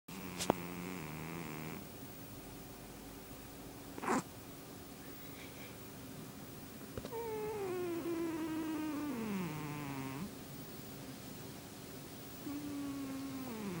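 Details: A sleeping domestic cat snoring: drawn-out nasal, tonal breaths that slide downward in pitch, separated by quieter pauses, with a couple of brief clicks and a faint steady hum indoors.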